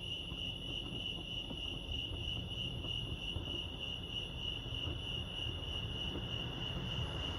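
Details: Continuous cricket chorus at Lake Arrowhead in California: a bright, even, high-pitched pulsing tone running throughout, over a faint low murmur of ambient noise.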